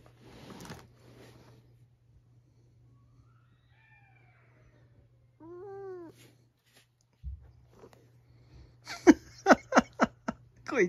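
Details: Pet cat Rin at home, reacting when her dad lies in her bed as she tries to take it back; a faint thin meow, then a clearer arched, harmonic meow, followed by bursts of laughter and chatter indoors.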